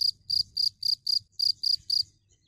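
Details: Short burst of a cricket's chirps: eight crisp, high, buzzy pulses in quick succession, then quiet, with faint low hum beneath.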